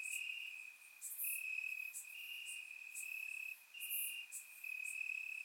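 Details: Night chorus of crickets in summer grass, Bulgaria, surround-microphone recording: a continuous shrill high-pitched trill broken by brief gaps, with scattered very high clicking chirps over it.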